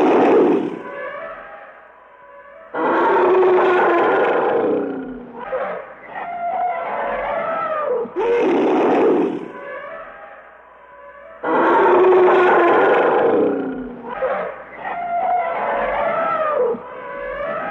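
African forest elephant giving loud, brassy trumpets and rumbling roars in long bursts.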